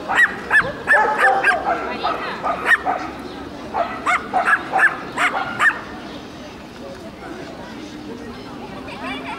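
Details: Shelties and papillons communicating with each other: a rapid run of high, sharp yips and barks, several per second, for about six seconds, then fading to quieter scattered sounds in the background.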